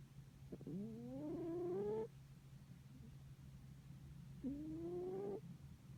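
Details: A soundly sleeping pet cat snores twice, each breath a drawn-out tonal whine that climbs gently in pitch. The two are about three seconds apart, over a faint constant low hum.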